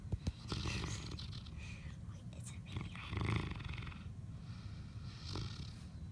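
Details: A sleeping dog snoring: low rumbling breaths with soft rasping bursts, repeating every couple of seconds, while people talk quietly and whisper nearby in Vietnamese.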